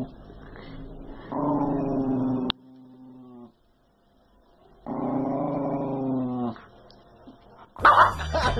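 A Miniature Schnauzer gives two sustained, rough harmonic growls, each lasting over a second.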